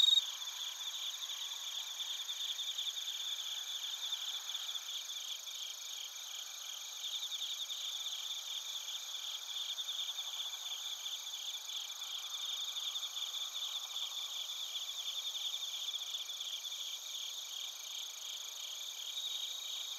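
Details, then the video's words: Bell crickets and crickets singing together in Narita, Chiba Prefecture, Japan, recorded on a TASCAM Portacapture X8; an unbroken high trilling chorus with rapid rhythmic pulses, plus a brief louder tick at the very start. "スズムシとコオロギの鳴き声 - Chirping of crickets"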